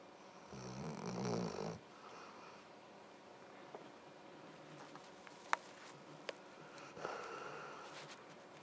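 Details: Sleeping dog named Luke snores in a small room. One rough, rasping inhaled snore lasts about a second near the start and a softer one comes near the end, with faint clicks and quiet in between.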